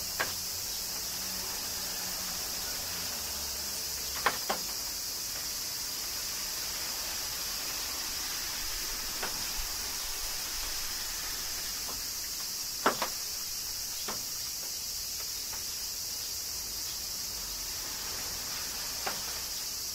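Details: Steady high-pitched cicada drone in summer rain at Kyoto, Japan, holding level for twenty seconds, punctuated by occasional sharp splashes and taps.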